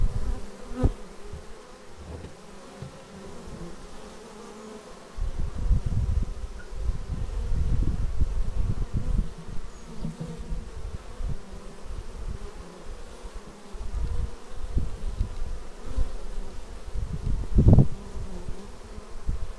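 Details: Honey-hive traffic of bees arriving at the beehive, caught on a Xiaomi Yi action camera: a low droning buzz that grows fuller after five seconds as more insects fly near, with a sharp thud near eighteen seconds.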